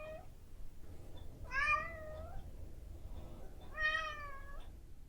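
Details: Domestic cat, a female, calling at 7 a.m. to ask for her breakfast, recorded with a Zoom H5: a clipped meow, then two longer rising-and-falling meows about two seconds apart, fairly soft over a low room hum.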